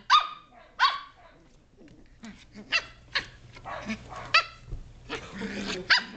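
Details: Playful Shetland Sheepdog puppies at 7.5 weeks, wrestling and chewing in a great room; sharp high barks spaced about every half second to second, with softer scuffling and small yips between.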